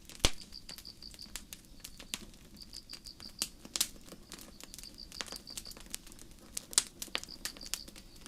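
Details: Crickets on a starry night in a forest, chirping softly: high, clear pulsed notes in quick bursts of four to six beats, repeated in short runs, while a campfire crackles and pops loudly throughout.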